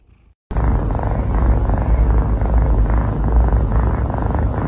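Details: Domestic cat purring steadily up close, a continuous low rumbling drone with faint regular pulsing throughout and no other clear sounds after a brief quiet start.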